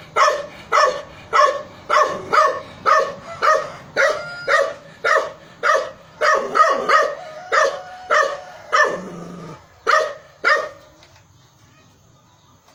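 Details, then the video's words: Dog barking in a fast, steady series of sharp barks, roughly two per second, for about ten seconds, then the barking stops and only faint background hiss remains. "Dog barking"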